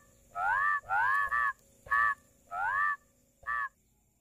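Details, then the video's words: Rice field frog close up, giving five loud, rich, upward-sliding nasal croaks, the second run into a short double, against a quiet background with a faint high hum. "SUARA KODOK | SUARA KATAK SAWAH"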